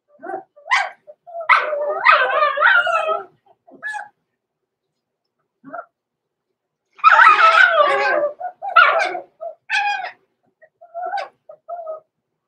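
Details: Two six-week-old blenheim Cavalier King Charles Spaniel puppies, Roman and Blue, overnight in their puppy pen, let out bursts of high yips and whiny barks in two noisy clusters, with quieter single squeaks between them.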